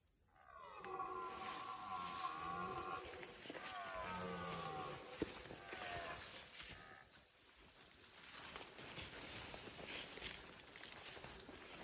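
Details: Red deer stag roaring during the rut (rykowisko), one long harmonic-rich bellow of about two seconds followed by a second, falling roar, then quieter grunting as the call fades; steady outdoor background hiss.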